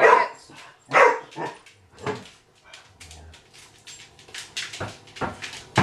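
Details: April, a Vizsla puppy, at home with the family cat Maggie, giving short harsh barks spaced about a second apart, with softer yips and whimpering noises between them and a person hushing her.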